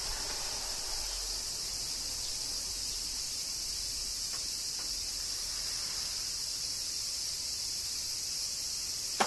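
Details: Massed cicadas singing through summer rain in Kyoto, Japan: a constant high buzzing wash with no pauses, a few faint ticks, and one sharp click at the very end.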